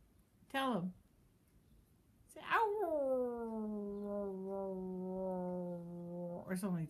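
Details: Bear, a pet dog, howls when prompted by its owner indoors: a short falling yelp, then a drawn-out howl that dips and holds a steady low pitch for about four seconds, with brief speech at the end.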